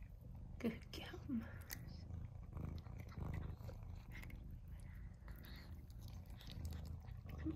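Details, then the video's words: Pet cats Mouse and Remi excited over tuna, their favourite treat: a steady low purr rumbles beneath short rising meow-like cries near the start, with a woman talking gently and quiet chewing sounds. "Cats Go Crazy For Tuna"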